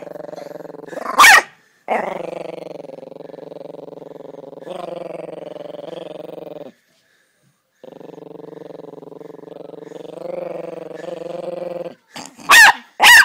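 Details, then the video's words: Chihuahua named Bear, a small dog, growling in long rattling stretches of several seconds each with a brief pause between, punctuated by a few sharp barks near the start and end. "Small dog big growl"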